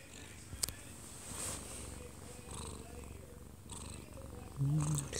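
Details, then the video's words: Odd-eyed Munchkin cat aged one year two months, dozing off in its owner's arms and recorded at close range; continuous low purring rumble, a brief click, and a short voiced hum near the end, with television sound in the room. "아빠 품에서 자는 꼬부기 골골이"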